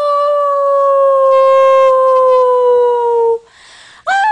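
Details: A dog howls in a single long, pure, gradually falling tone lasting over three seconds, followed by a brief pause and the start of another howl.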